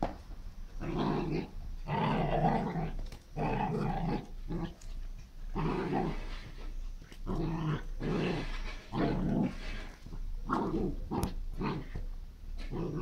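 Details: Dog going wild in a garden, producing repeated rough, throaty growls in bursts of about one second, separated by short pauses, with some snarling bark-like edges.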